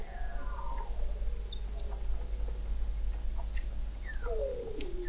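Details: Weddell seals under thick sea ice in McMurdo Sound, Antarctica, recorded November 2017 by the McMurdo Oceanographic Observatory 21 m below the ice; overlapping descending whistled glides, a long steady high tone, and scattered clicks over a low rumble.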